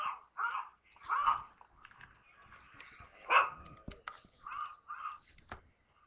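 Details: Domestic dog barking in reaction to the sound of other dogs, captured on a webcam in December 2011: a rapid string of short, mid-pitched barks, uneven in spacing, with one louder bark near the middle.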